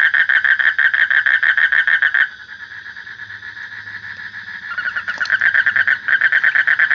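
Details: Frog calling in a fast, evenly pulsed rattling trill, loud for two seconds, dropping to a softer continuous murmur, then resuming the rapid pulsing toward the end.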